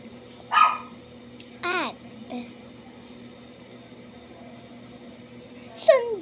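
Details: Dog making noise: a handful of short, yelping barks with sharply falling pitch, spaced irregularly over six seconds with long quiet gaps, over a steady low electrical hum indoors.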